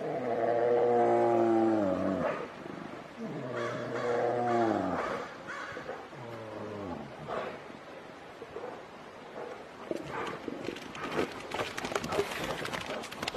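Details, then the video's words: Two grizzly bears arguing, the dispute quickly turning into a fight: three long, droning roars of about two seconds each, then broken grunts and huffs, with scuffling noise near the end. "An argument between the two grizzly bears quickly turns into a fight."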